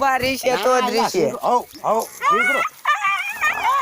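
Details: Dog caught in a buffalo's horns in a village, giving a rapid series of high, arched, whining yelps about every half second, with people's voices mixed in.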